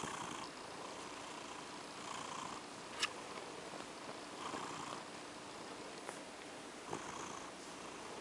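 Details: A female cat named OCD Cat purring softly while being petted to sleep, the quiet rumble swelling in gentle waves roughly every two seconds, with a faint steady hiss and one sharp click midway.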